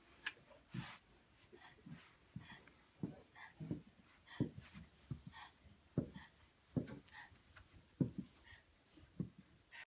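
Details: Buster the pug tussling with Patton the English mastiff indoors: short low snorting puffs repeated roughly every second, each a brief huffing burst, with a faint hum in the room.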